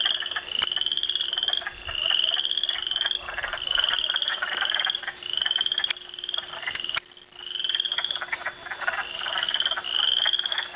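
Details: A dense frog chorus of high, rising trills repeating every second or two at Canupawakpa Trail, with a faint steady hum.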